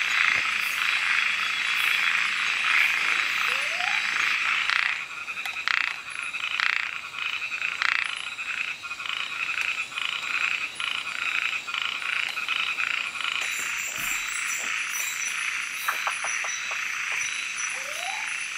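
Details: Frogs calling after dark in Kubah National Park, Panasonic GH4 recording. A loud, even, shrill chorus thins slightly after five seconds, with scattered clicks, several quick rising chirps and short high ticking bursts late on.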